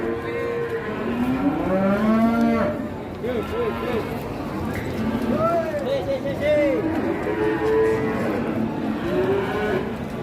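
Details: Huge cattle, a pair brought to an Indonesian livestock market, giving drawn-out moos that rise and fall, several overlapping calls in quick succession, amid a bustling crowd and distant music.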